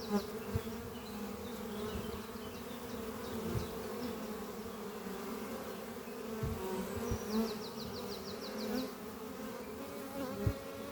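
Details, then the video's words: Honey bees flying at a horizontal oak-chest beehive under trees on a spring morning, a thriving colony bringing in pollen; a dense, steady low hum of many wings throughout, with a brief high rapid twittering bird phrase near the end. "Relaxing sound of bees flying at beehive Doppio on a spring morning"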